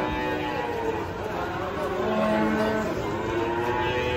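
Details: Cow lowing while being unloaded from a truck after it slipped; drawn-out harmonic moo under steady background noise, with people talking and music in the background.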